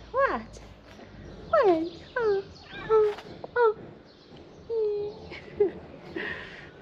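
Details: Ginger stray cat staying by a car, described as hungry, giving a run of short, downward-sliding meows about every half second to a second, interleaved with a person's voice and outdoor background.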